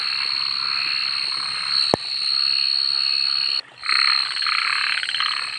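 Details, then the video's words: Night-time frog chorus: a continuous shrill insect whine, a sharp click near the two-second mark, then a burst of loud, rapidly pulsed rattling croaks after a brief drop in sound. "suara kodok dimalam hari"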